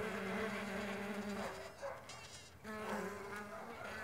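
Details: Several Mandaçaia stingless bees in flight: a buzzy drone that fades out for about a second midway, then swells back as bees return, with faint rustling noise throughout.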